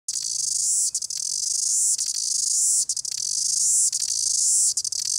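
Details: Cicada singing in New Zealand: a loud, continuous shrill buzz, steady and high, broken by brief clicking dips about once a second, with no other clear sounds.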